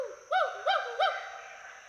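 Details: Two wild Western hoolock gibbons climbing and swinging through trees at Hollongapar Gibbon Sanctuary, Assam, giving whoops and hoots for social communication and territory; three quick arched hooting notes, rising then falling, roughly every third of a second.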